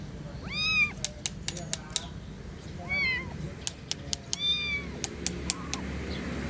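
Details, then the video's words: A kitten gives four plaintive meows spaced about one and a half seconds apart, each rising then falling, with sharp tapping clicks scattered between the calls. "Suara Anak Kucing Mengeong -Kitten Meowing"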